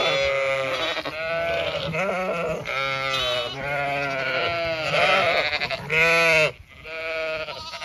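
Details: Flock of Zwartbles sheep heading to late afternoon pasture on a County Kilkenny farm, Ireland; almost continuous chorus of overlapping quavering bleats, roughly one per second, ending abruptly in near silence.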